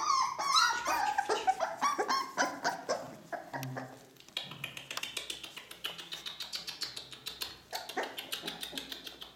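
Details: Ca de Bou puppies at four weeks, litter of Bea and Bubu, whimpering in a quick series of high, wavering squeals, then fading into a long train of rapid, regular clicking taps with faint whines between.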